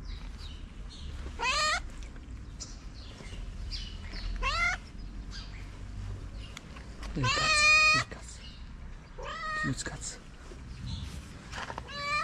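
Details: Calico stray in Morocco begging for affection and food, giving a few scattered meows, some sweeping upward sharply, with long gaps of low street noise and rustling between calls.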